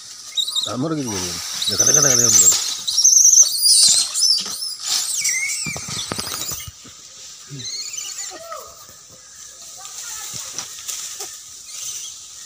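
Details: Monkeys, possibly langurs, shriek in harsh, wavering squeals during a fight, with people talking nearby.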